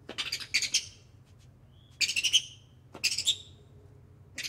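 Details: Ring-tailed lemur chirping, sniffing and whining: short clusters of sharp, high, hissy chirps come in quick bursts near the start, around two seconds and again near three seconds, with near silence between the groups.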